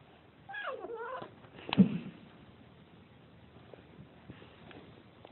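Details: Kitten scared by a camera gives a short wavering meow, then a sharp thump-like noise, followed by quiet room sound.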